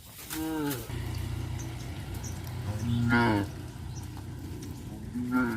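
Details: Tame cows being herded to a grazing field in a village, giving three deep moos spaced a few seconds apart, each a brief harmonic lowing over steady low rumbling background.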